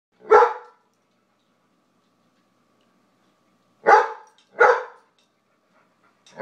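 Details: Dog barking indoors between a White Shepherd and a Jack Russell named Brooks and BJ as food is handed out one nugget at a time; four sharp single barks, one isolated, then three close together after a long pause.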